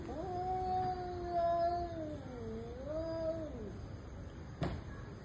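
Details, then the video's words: Fighting cats give one sustained, wavering yowl that holds level, dips, climbs again and slides down at the end, followed by a single sharp tap, all over faint hiss. "Cats and their personal intense fight"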